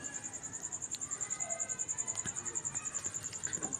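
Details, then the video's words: Cricket sounding at night in the quiet: shrill, fast and regular pulsed chirps, loud and continuous, with a few faint clicks in the background. "cricket sound at night"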